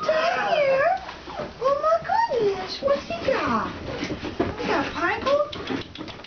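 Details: A litter of young Alaskan Malamutes venturing outside for the first time, giving long, arching whines that swoop up and down, overlapping one another, alongside thinner yips and background rustling.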